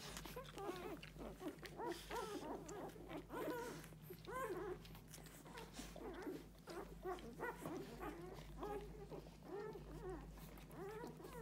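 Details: Six-day-old Golden Retriever puppies nursing at their mother squeak and whimper constantly, many high little cries overlapping one another.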